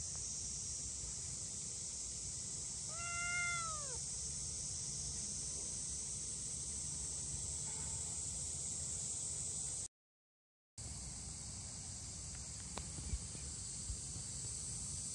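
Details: Lone two-month-old silver-and-white stray kitten, left behind in July by its mother and tabby sibling who crossed a river first, gives one anxious, bright meow that falls in pitch. Constant high-pitched hiss and low outdoor rumble behind it.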